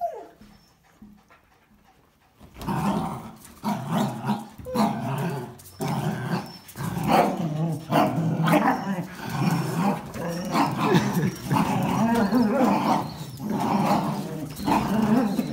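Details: Quiet first seconds, then dense, continuous low growling as a Jack Russell Terrier and two Border Collies, including Biju, wrestle for a towel in play, with snarling bursts throughout.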